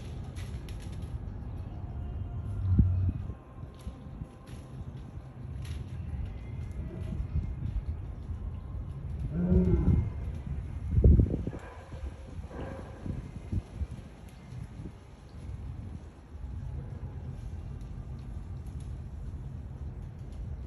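An African lion gives deep, rough snarls and short growling bursts over a low rumbling background.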